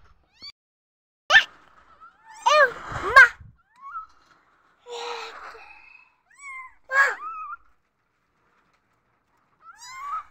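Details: Newborn kittens mewing from insecurity, short high-pitched cries spaced irregularly, a few sharp rising-and-falling squeaks and some quieter, lower mews between silent gaps in an indoor room.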